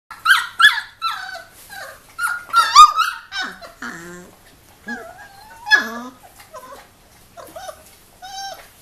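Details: Three-week-old Giant Schnauzer puppies, a litter of three, play, explore and scuffle indoors, giving high squeaky whines and yelps that bend up and down, bursts coming in clusters with short quiet gaps between.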